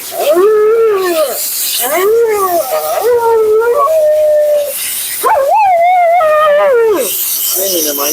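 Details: Female Siberian Husky named Mila complaining during a bath and blowout at the groomer's: arched, yodelling moans in separate phrases, some held steady, one rising sharply then sliding down, over steady blower or water noise.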